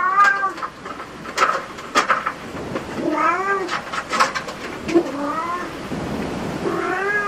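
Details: Cats at a cat cafe, meowing over and over: several rising and falling meows overlap and follow one another throughout, some short and chirpy, others drawn out, with soft clicks and room noise between them.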